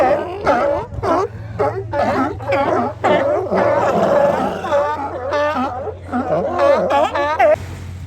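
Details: Many sea lions hauled out on a beach in Oxnard, California, calling together: loud, rapid, overlapping barks with bent, wavering pitch, nearly continuous for eight seconds over a low background hum.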